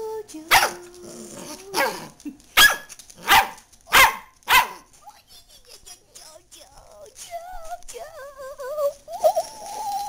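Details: Dachshund JoJo at home as another dog, Leon, has a bone; five sharp, separate barks come in the first five seconds, followed by softer sounds and a woman's high, wavering calls of come here.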